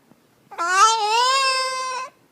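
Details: Nehbey the dog, making weird noises indoors, gives one sustained whining howl of about one and a half seconds. It starts with a slight rise, then holds a steady, rich, harmonic tone before breaking off abruptly. The room is otherwise quiet.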